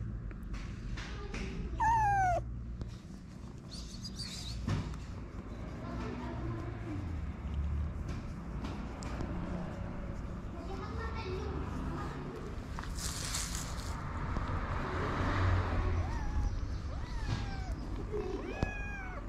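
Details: Stray kittens, hungry and awaiting their mother's return, give one clear drawn-out falling meow early on, followed by fainter scattered mews over low background rumble and street noise.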